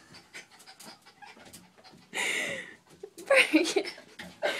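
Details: Jack Russell Terrier named Bart, worked up over his toy in the bathtub yet unwilling to get in; quick breathy panting with a sudden loud rushing burst, then sharp squeaky whines and huffs.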